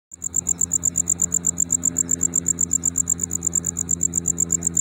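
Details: A tropical house cricket (banded cricket, Gryllodes sigillatus) chirps in fast, steady pulses, a high ringing note repeated several times a second, perhaps fast because it is now their season.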